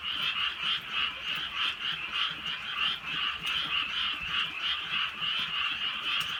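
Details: Countryside frogs calling through a night of light rain: a thick, continuous chorus of quick, rattling croaks that swell and fade in short waves roughly three times per second, with soft rain patter behind.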